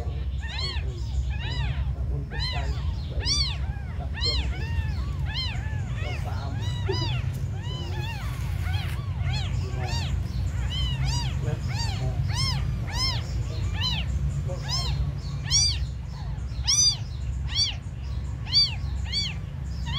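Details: Abandoned kittens, described as the smallest, meowing over and over: high, arching, whistle-like cries with rich harmonics, repeated rapidly and overlapping through the recording, over a steady low rumbling hum.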